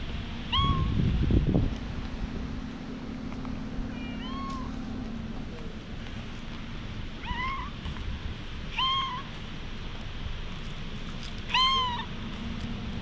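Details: Stray cat being gently patted, recorded on a GoPro HERO8: five short, high mewing calls with bright harmonics, each slightly rising then falling, spread across the clip over a steady low hum and one brief thump near the start.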